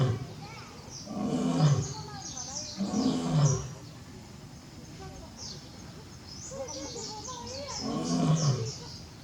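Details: Barry, a male lion at Tobe Zoo, roaring at full force on 5 October 2021 as he keeps calling for his absent companion Daisy; deep, grunting roar bursts near 1.5, 3 and 8.5 seconds, with visitors' voices between.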